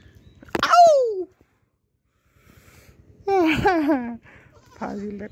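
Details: Pregnant Black Bengal goat named Jomela, a family's first goat, filmed in April 2025: two loud, quavering, falling bleats about three seconds apart, then a shorter flat call, with people talking nearby.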